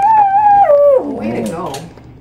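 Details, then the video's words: Toy poodle singing to a person: a sustained tonal howl holding steady then stepping down and trailing off into lower, wavering vocal sounds. "the singing toy poodle"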